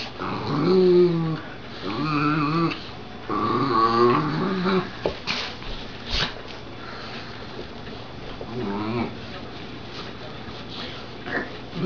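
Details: Wrestling puppies, two Dachshunds and a Golden Retriever fighting over a glove, produce wavering, whiny growls in the first few seconds, then quieter scuffling with occasional short growls.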